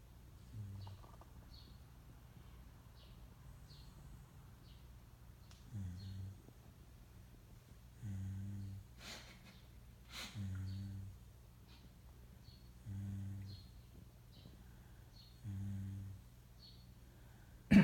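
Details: Faint, buzzy snoring from a wakeful Shiba Inu mix named Moka, short low rasps repeating every two to three seconds, with a few sharp clicks and a loud thump at the end.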